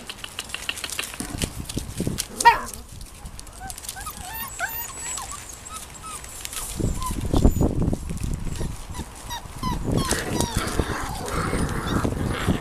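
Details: Litter of Irish Terrier puppies making many short, thin, high squeaks and whines scattered throughout, some overlapping, over a low rumbling background of movement and handling noise, with a sharp knock near the start.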